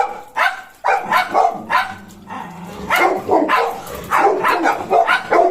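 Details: Golden Retriever puppy that shadows a German Shepherd, barking in quick, uneven bursts of sharp, mid-pitched barks, about a dozen in under six seconds, with short pauses between clusters.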